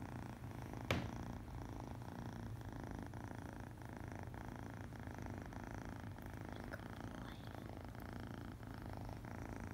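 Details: Purring of a one-eyed male foster kitten, happy while being petted indoors: a steady, low, rumbling purr that continues without pause, with a brief soft knock near the start.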